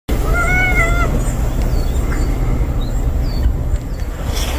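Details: A house cat and a stray cat moving in together for the first time. One clear, drawn-out meow with level pitch and strong harmonics, followed by a steady low rumble of background noise.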